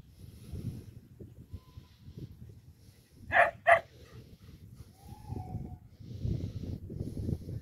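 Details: Parson Russell Terrier named Lenny, registered as Attractive Aramis of Green Spirits, playing during a break in racing; two sharp, harmonically rich barks in quick succession near the middle, over low rumbling background noise.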